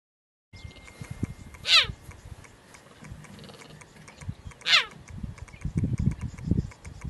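A cheetah gives two brief, high, bird-like calls that sweep sharply downward, about three seconds apart.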